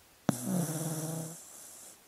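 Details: Sleeping dog giving a single low, droning snore-like groan that starts abruptly and holds a steady, slightly pulsing tone for about one second before fading, with a faint high hiss lingering afterward in a quiet room.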